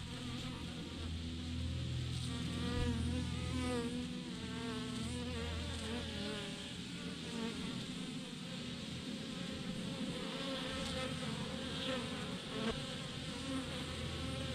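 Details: Honey bee swarm of thousands clumped in a massive cluster on a branch, giving a steady, dense droning hum with a shimmering buzz that holds at even loudness throughout.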